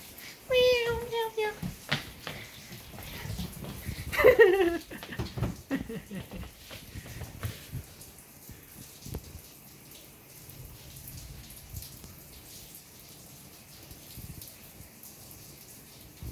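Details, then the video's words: Boston, a male pet cat, meows in reaction to rain on the afternoon of June 3, 2025: two drawn-out, falling meows in the first five seconds, with a person's voice nearby, then a steady hiss and patter that fills the rest. "Boston The Cat's Reaction To Rain"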